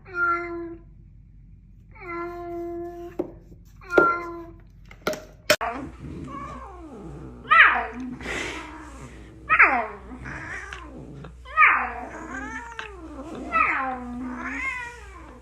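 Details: Domestic cat in an indoor room, heard in a funny cat meme compilation: after a few flat, steady tones, a series of rising-and-falling meows repeats about every two seconds, with speech mixed in.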